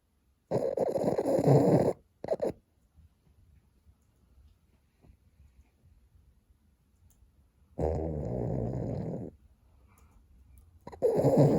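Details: Boston terrier fast asleep and snoring: rough, rasping snores lasting a second or two each, separated by long quiet pauses.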